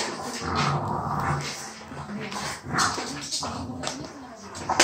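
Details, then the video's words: French Bulldog sharing one toy with a child, making low, droning whines and grunts over a steady hiss of background noise, with a child's voice in between. "Buldog francuski i dziecko jedna zabawka"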